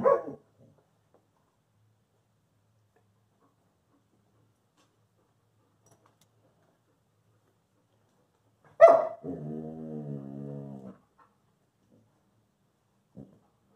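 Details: Peaches, a Wolamute holding two treats she will not share, gives a sharp bark and then a drawn-out, harmonic whining moan of about two seconds. A brief faint sound follows in a quiet indoor room.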